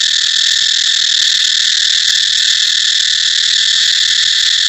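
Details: Steady, intense cicada drone: a dense, shrill electric buzz that holds at the same level without pause for the whole stretch.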